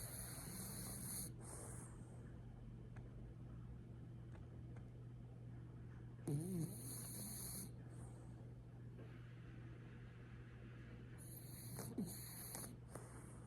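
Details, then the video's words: Sleeping French Bulldog on its owner's lap snores in three rasping, hissy breaths spaced roughly five seconds apart, some with a low nasal rattle, against a constant low background hum. "フレブル いびきをかいて寝る 犬"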